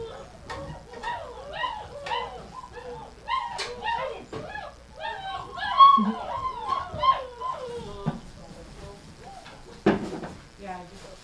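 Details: A chorus of dogs, the 'athletes', clamours during gruel feeding in a kitchen, January 20, 2017: quick bending yips and longer wavering howls crowd together, broken by clanks and a few spoken words.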